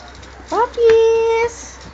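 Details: Male Japanese Spitz dogs named Toffee, Thor and Twyller: two quick rising whimpers, then one steady, even, held tonal whine of under a second, with a quiet background.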